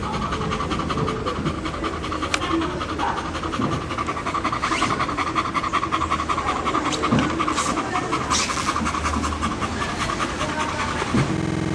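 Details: Fast, regular, breathy panting from a Bull Terrier kept as a pet, searching for a spot to lie down and rest. The huffs run steadily throughout, with a few brief clicks and rustles.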